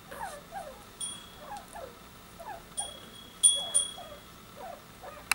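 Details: Newborn Soft-coated Wheaten Terrier puppies in a new litter give short, high, downward-sliding squeaks in irregular clusters, with faint chime-like ringing tones and a few sharp clicks.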